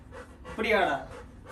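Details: Little John, a Labrador puppy eager to go out for a walk, lets out a single short, bright whine between soft breathy pants indoors.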